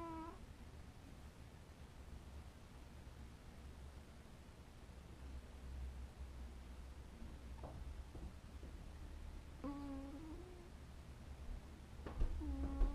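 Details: Cat asleep, letting out soft drowsy mews: one at the very start, then after a long quiet stretch two more short, slightly wavering calls near the end, with a few light clicks and a low steady hum.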